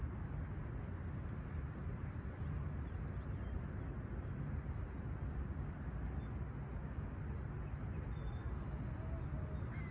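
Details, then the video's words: Chirping crickets in Toronto's Humber Bay Shores on a calm, clear July 2020 summer sunrise at 20ºC: a continuous shrill, even tone holding steady throughout, with a strong low rumble beneath and a faint distant bird note near the end. "Serene Summer Toronto Morning With Chirping Crickets"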